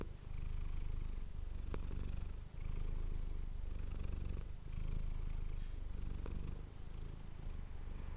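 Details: Domestic cat named Manis purring into an ASMR microphone, a continuous deep vibrating rumble pulsing in breath cycles of roughly a second, brief pause near the middle, light airy hiss on each breath and occasional tiny clicks.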